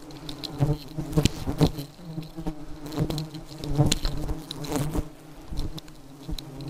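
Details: Persistent low drone of very aggressive honey bees, humming steadily with repeated taps and bumps of insects striking nearby, the volume wavering without pause.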